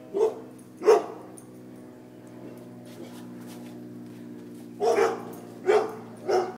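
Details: Barks from dogs running away from a deer mount: two sharp woofs, a pause of a few seconds with a steady low drone, then three more barks in a quick series.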